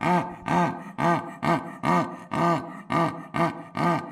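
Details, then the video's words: Zoo animal making a steady series of deep, hoarse grunts, about nine in four seconds, evenly spaced and each swelling and fading, with no other sounds. "The sound of zoo animals"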